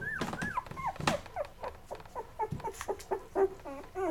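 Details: Labrador Retriever puppies from Mocha's litter, day 11, indoors, eating until full then crawling off to sleep; high, arched whimpers and squeaks, each rising then falling, repeated about twice a second with short gaps.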